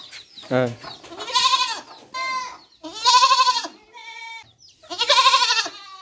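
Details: Young goat kid bleating: three loud, wavering, nasal baa calls with a quavering tremolo, each lasting under a second, spaced about two seconds apart, with softer brief cries between them.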